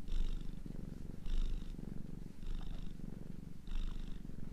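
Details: Gentle, low purr of a domestic cat, each breath adding a light hissing rasp, four breathing cycles in a few seconds.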